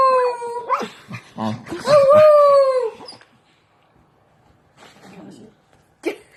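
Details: Singing dog gives two short howls, the second held about a second before dropping, mixed with muffled voices and rustling, then mostly quiet apart from faint murmuring and a final short yelp.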